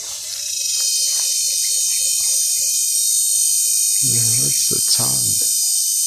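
A cicada's loud, steady high-pitched buzzing drone, with a person briefly speaking.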